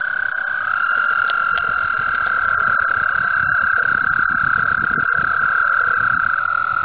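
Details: Spring mating chorus of frogs in the water at Mt Gretna: a continuous ringing trill that shifts slightly in pitch as a second caller joins near the start, with soft clicks and rustles underneath.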